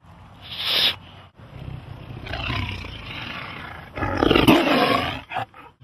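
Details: Big cat giving harsh, breathy snarls: a brief hissing burst, then a long rasping roar that swells, drops, and swells again into a loud, noisy growl before cutting off.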